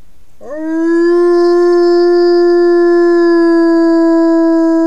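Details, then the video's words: Single wolf howl for communicating with other wolves, starting with a quick upward swoop and then sustained as a smooth, unwavering tone full of overtones for about four seconds. "Wilczy zew / The call of the wolf"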